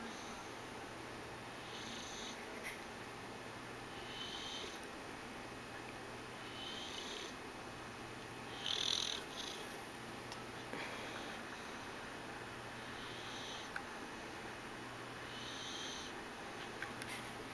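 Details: A female English Bulldog sleeping on a couch with her tongue hanging out snores with a low, rumbling rasp that returns about every two seconds.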